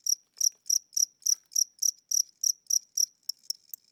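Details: An old, tired-sounding house cricket chirps at night with weakening wings and slowed wing speed; a dozen crisp, high pulses about three per second, evenly spaced, then fading into softer, fainter ticks at the end.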